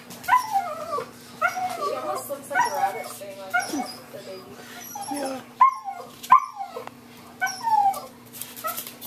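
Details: Female blue merle Miniature Australian Shepherd puppies, aged 4 weeks and 4 and a half months, give high, wavering whines and short yips in rapid, uneven bursts while people talk softly and urge gentleness nearby.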